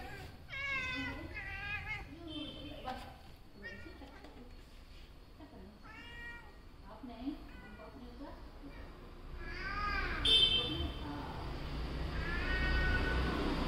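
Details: A tabby cat gives a run of short, rising-and-falling meows while giving a "hickey", with a human voice faintly underneath.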